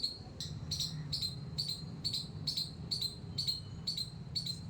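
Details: About ten rapid, shrill squeaks from a squirrel in a terrace garden, evenly spaced at around two per second, each starting with a click and ringing briefly, above a low steady rumble.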